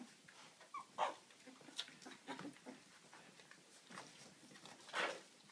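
Young Siberian Husky pups make thin, high-pitched whimpers and short squeaky yelps, coming in irregular bursts. The calls are quiet and broken, with a louder yelp near the end.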